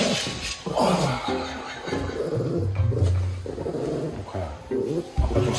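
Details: A Samoyed dog being cuddled indoors gives low, drawn-out grumbling moans and groans, some rising and falling, over about five seconds, while people talk in Korean close by.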